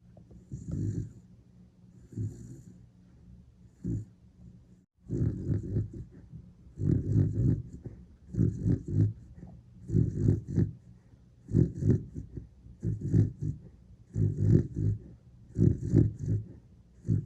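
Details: Horongi, a sleeping Dachshund, snores like a wild boar: deep, rumbling snorts in steady bursts about every one to two seconds, louder after a short quiet gap near five seconds, with a faint airy hiss above.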